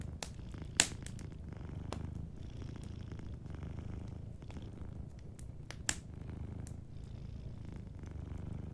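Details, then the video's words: Gentle purring from a sleeping cat beside a crackling fireplace. The deep, continuous purr swells and fades with each breath, and occasional fire pops stand out. "Warm Fireplace Ambience with a Sleeping Cat 🐱💤Fireplace & Soft Purring"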